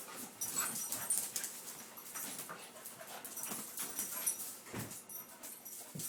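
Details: Littermate puppies Roo, the white one, and Cupid, the black one, rough-and-tumble wrestling inside; a rapid run of airy snorts, panting puffs and soft scuffles, steady throughout with brief louder spikes.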